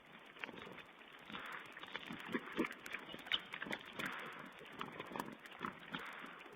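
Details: Wild boar piglets caught on a webcam while feeding, 16 April 2010. Scattered grunts and brief high squeals come in uneven bursts, with a louder cluster in the middle. Constant background hiss throughout.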